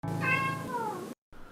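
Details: Himalayan Blue Point cat, a pet kept indoors, gives one long drawn-out meow whose tone slides gradually downward over about a second, over a low steady hum, followed by a short silence and faint background noise.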